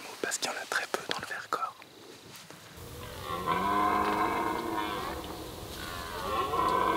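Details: Red deer (Cervus elaphus) stag gives a long, deep, drawn-out rutting bellow close by during the autumn rut, heard from a hide beside a mud wallow that draws animals; soft whispering precedes it.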